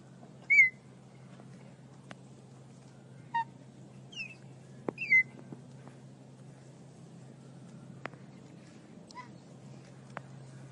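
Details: Baby cheetah giving short, high, bird-like chirps, each a quick bright note with a slight bend, spaced irregularly over ten seconds, several soft clicks between them over a low steady hum.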